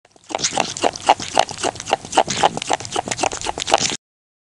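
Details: Rock hyrax showing characteristic chewing and grunting behaviour: rapid, rough, nasal grunting pulses of about four per second, some with a short tonal centre, running steadily for roughly four seconds before stopping abruptly.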